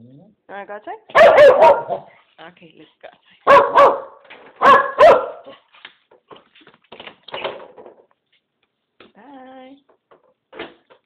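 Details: A female Keeshond named Blue barks excitedly after hearing "want to go outside", expecting a park walk. Several bursts of rapid, loud barking are spread across the recording, mixed with a person talking indoors and a few quieter yips near the end.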